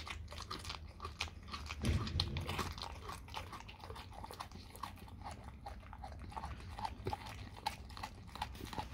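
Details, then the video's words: Raw cow tongue being eaten by a dog indoors, rapid wet crunching and biting, about three chews a second, with a louder low thud near two seconds. "dog eat raw Cow tongue"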